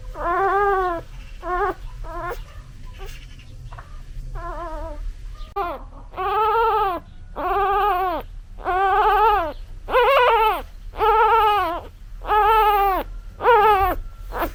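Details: Newborn puppy crying for its mother: a series of about a dozen harmonic, arched whimpers, each rising then falling, repeated roughly once a second. The cries grow louder and more regular in the second half. A faint low hum sits underneath.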